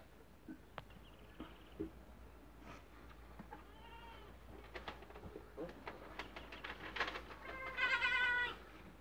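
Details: Dairy goats, including a young doe, in their first days of milking, with scattered short bleats and clicks building to a loud, strained, wavering bleat near the end over a quiet barn background.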